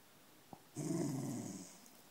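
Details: West Highland White Terrier, described as a menacing dog, recorded indoors on an iPhone 4: a single short low growl lasting about a second, with a faint high hiss above it, in a quiet room.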